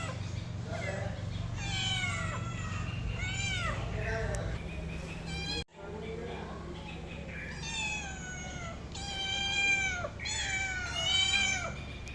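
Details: Several long, plaintive meows from a domestic cat, falling in pitch, with human speech mixed in and a brief break in sound midway; low steady hum throughout.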